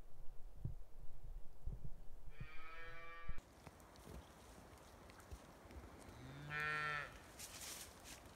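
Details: Scottish Highland cattle kept outdoors year-round on a farm in Finland, in forest and meadow: two harmonic moos, the first around 2.3–3.4 seconds, a second lower drawn-out moo near 6–7 seconds, with rustling and faint background noise.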